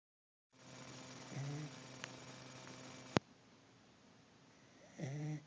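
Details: A corgi, exhausted after a weekend of hiking and being out in the sun, snores in slow, rasping low breaths a few seconds apart.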